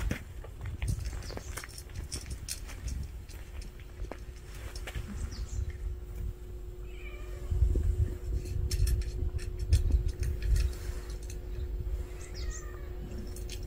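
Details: Street cat family gathered together at a meal, giving a few faint, short meows around the middle and near the end, over a steady low rumble with clicking and shuffling feeding noises throughout.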